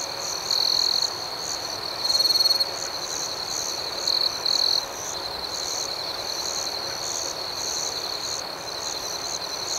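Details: High, pure cricket trills ring out at night in separate bursts, a long one, another long one, then two short ones, before fading into an even, steady chorus of pulsing chirps from many more distant insects.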